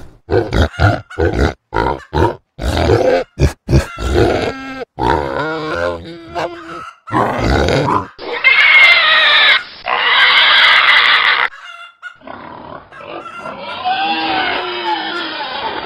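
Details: Rapid choppy grunting from a pig over the first five seconds shifts to drawn-out snorting grunts. Two loud, shrill, sustained squeals follow near the middle, then quieter, noisy wavering calls close the sequence.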